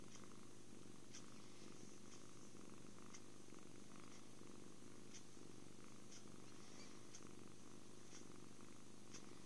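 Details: Purring of a happy kitten amid cuddles, food and sleep: continuous low vibrating hum, even and steady, with faint periodic taps, close and quiet.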